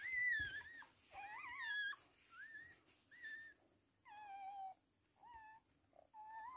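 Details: Toy Poodle giving birth to three girl puppies indoors; thin, high whining squeals, some rising and some falling, come in short separate bursts of about half a second with quiet gaps between them.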